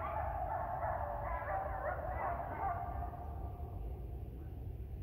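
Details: Coyotes in Ash Brook Reservation on a December 2019 morning, 7:30 AM, a pack answering a separated member: a dense tangle of high yipping and warbling howls fading after three seconds, continuous low background rumble.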